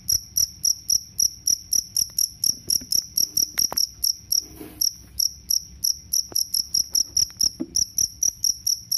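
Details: Two-spotted cricket, known locally as jangkrik kalung, offered for driving off rats and training birds; shrill ringing chirps come in a fast train of roughly four per second, nearly unbroken, with soft low clatter underneath.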